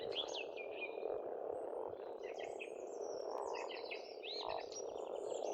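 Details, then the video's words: Pond frogs in spring in Estonia croak as a constant humming chorus, while lively bird song with quick warbled and whistled notes is prominent above it throughout. "Расслабляющее пение птиц и лягушек"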